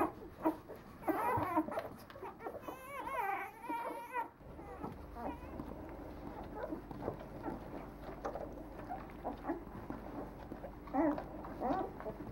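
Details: Young Leonberger puppies, nine days old, at a French kennel: wavering, rising and falling whines early on, then quieter scattered squeaks and snuffles from the litter, with a steady low background hum.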